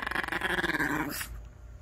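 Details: An elderly Maltese refusing to get off bedding that needs folding gives a rumbling, pulsing growl with a whiny edge, grumbling in protest; finding: Maltese.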